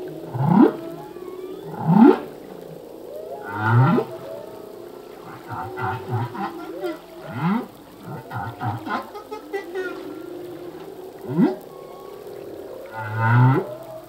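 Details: Male humpback whale song, phrases changing yearly as new ones are learned: rhythmic upswept grunts every one to two seconds, mixed with low moans and clusters of brief squeaky pulses mid-phrase.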